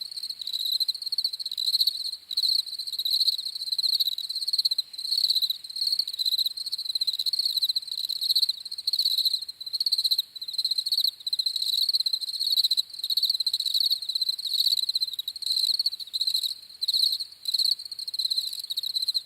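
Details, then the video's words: Crickets chirping in a steady, high-pitched trill, pulsing in bursts with brief pauses, with a fainter band of sound higher still; no other sounds. "CRICKETS CHIRPING SOUNDS"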